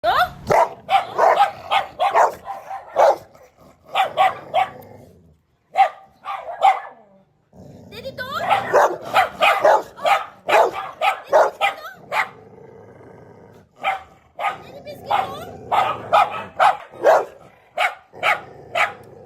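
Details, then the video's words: Several Labrador Retrievers bark in short, sharp bursts, often in quick runs of three or four, with brief pauses between volleys and a low background murmur. "The Barking Symphony: LabradorFriends Making Noise"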